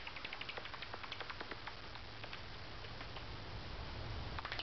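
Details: Angry bat hidden unseen in the rafters of a carport at night: rapid, uneven run of short dry clicks and ticks, densest early then thinning, over a steady low hum.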